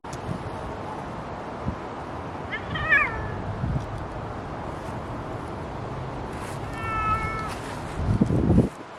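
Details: A Bengal cat outside in a harness on a windy, chilly day gives two short meows against steady wind noise.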